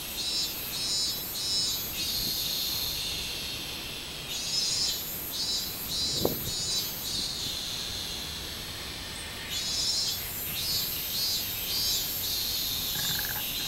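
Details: Minmin cicada song recorded 24 July 2016, a shrill buzzing drone pulsing in repeated bursts, fading in the middle and returning strongly near the end; one sharp click sounds partway through.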